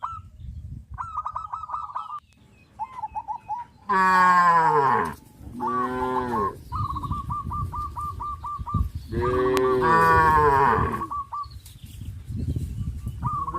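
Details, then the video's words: Joyful tame cows crowding a field, running and jumping: a pair of deep falling moos in close succession, then a third longer one, set among rows of brisk repeated high-pitched chirps. "sound of cows"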